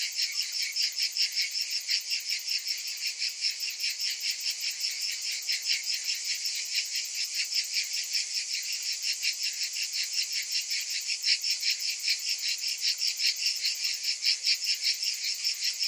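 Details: A summer chorus of cicadas: an unbroken, high, metallic buzzing that beats in steady fast pulses about every 0.4 seconds, dense and even throughout, with no other noises.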